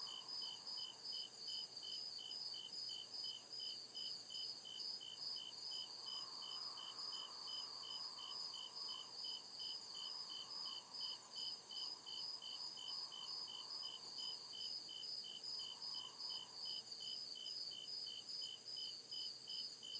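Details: Deep woods at night filled with cricket chirping: rapid, evenly spaced high pulses, roughly two and a half per second, riding on a steady shrill background trill, with intermittent low humming swells through the middle.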